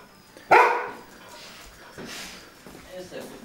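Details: Border Collie barking from sheer fear of New Year rockets on New Year's Eve, indoors; one loud sharp bark, then a woman speaking German soothingly in the room.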